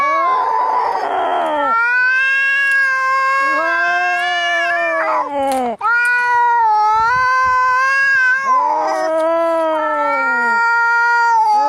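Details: Angry fighting cats, meant to scare away rats: long wailing, harmonic-rich yowls that rise and fall, overlapping between two voices, with brief breaks and a lower moaning tone underneath.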